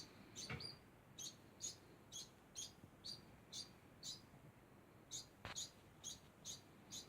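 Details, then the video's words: A degu keeps up a steady run of brief, high-pitched squeaks at roughly two per second, fairly even in loudness. Two sharp clicks stand out from the quiet background. "Degu makes constant sound"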